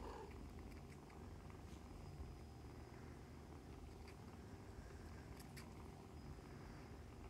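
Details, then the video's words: A litter of foster kittens nursing and playing with their mother; a low continuous purr carries through, dotted with faint ticking and shuffling sounds. "Kittens Nursing, Purring, Playing"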